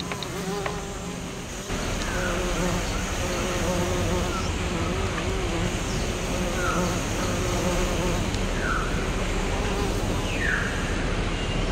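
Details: Western bumblebee pollinating the blossoms of an American Basswood tree, giving a steady low droning hum with layered harmonics that holds throughout, while short descending bird chirps sound now and then in the background.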